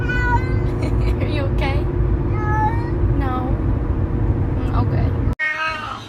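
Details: Domestic cat from a funny compilation of cats said to speak English, giving a string of short rising-and-falling meows, several in quick succession, over a steady low rumble, with a person talking to it throughout.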